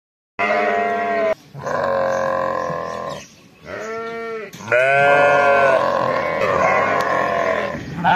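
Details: Fall lambs on a sheep farm bleating in a busy overlapping chorus: several wavering, nasal bleats of varied pitch follow one another with brief gaps, some calls rising then falling, with no other clear sounds.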